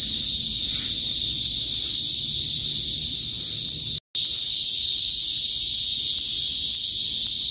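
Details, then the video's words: Philippine cicadas, locally kuliglig, calling in a province in the north of the Philippines before sunset: an intense, even, high whining buzz that never pauses except for a short silent cut partway through. "TUNOG NG KULIGLIG SA PROBINSIYA | PHILIPPINES CICADAS NOISE"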